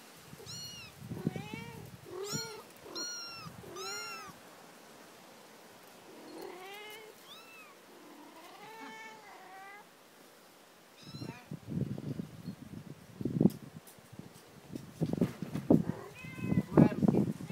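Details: Several newborn kittens meow at home: loud, high, wavering cries, some rising then falling, bunched tightly in the first seconds. Later comes a quieter stretch, then low thumping and rustling handling noises.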